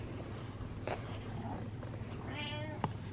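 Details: Butters the cat, asking for attention, lets out a brief soft meow late in the recording, preceded by a couple of small clicks and thumps against a low background hum.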